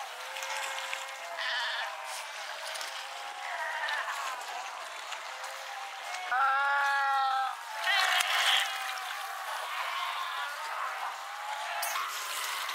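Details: Cape fur seal colony at Pelican Point near Walvis Bay, Namibia, filmed 18 July 2012; a chorus of wavering, lamb-like bleats, one loud harmonic-rich cry standing out midway, over steady surf-like hiss.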